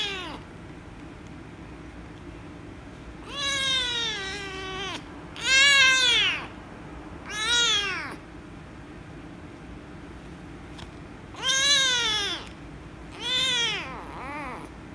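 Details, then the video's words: Loud, angry meows from a rescue kitten that objects to being petted: six harsh, arched calls, each rising then falling, spaced irregularly a few seconds apart across the stretch, with a steady low hum behind. "The Rescue Kitten Angry And Meowing Loudly If I Pet Her"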